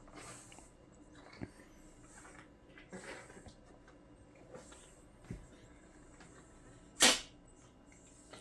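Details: Sonya, a Bengal mix shop cat at a car wash, has a cold with a runny nose, herpesvirus and nebulizer treatment, on 9 April 2023 after waking. Faint snuffling breaths recur every second or two, then one sharp, loud sneeze in a quiet room.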